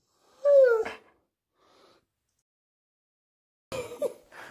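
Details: Pet husky, one of Max and Bombón, 'talking' when asked what colour it sees: a drawn-out, falling whine-howl rich in overtones, a pause, then a shorter two-part yodelling grumble at the end.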